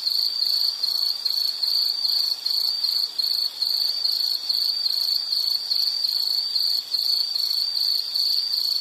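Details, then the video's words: Insect chorus for relaxation and sleep: a steady high-pitched cricket-like trill, pulsing in rapid regular chirps about twice a second over an unbroken ringing band, with faint hiss beneath and no other voices. "Nature Sound of nature sounds scenery L · insect"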